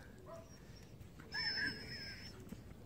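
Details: A Jindo dog, one of a domestic Jindo couple named Jjanggu and Duri, gives a thin, wavering, high whine lasting about a second, rising and falling slightly, over quiet room noise with faint rustling before it.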